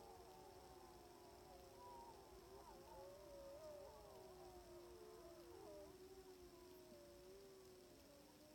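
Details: Distant pack of sixteen timber wolves on an Alaskan hill in Wrangell-St Elias National Park, September, roughly 700 yards off, recorded via phone and spotting scope: a dense chorus of drawn-out wavering howls, some notes bending up and down, others held steady.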